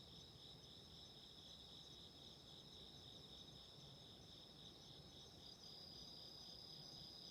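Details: Soft, continuous ringing of autumn insects, several trills stacked at high pitch with a gentle pulsing, set against a steady low crackle from a candle flame.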